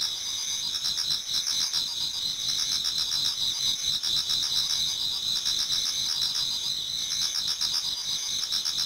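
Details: Numerous insects in a Japanese garden chorus in autumn just before dawn, producing sustained high shrill trills and quick regular chirps about four per second, a dense unbroken wall of sound.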